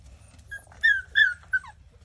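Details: Cane Corso whimpering: three short, high, whiny yelps that bend up and down, clustered within about a second, with faint low rumble beneath.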